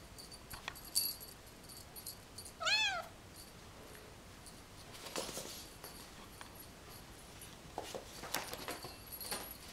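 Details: A 14-week-old Bengal kitten at play gives one short, high, arching mew amid light jingling and clattering.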